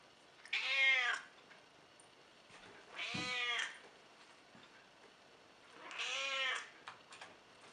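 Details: Elderly cat of about 14, described as cranky and disliking visitors, meowing indoors: three drawn-out harmonic meows spaced about three seconds apart, each rising then falling, with quiet room background between.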